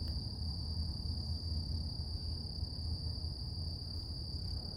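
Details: Cicadas singing in the morning, a level high whine held without pause, laid over heavy low-frequency background rumble.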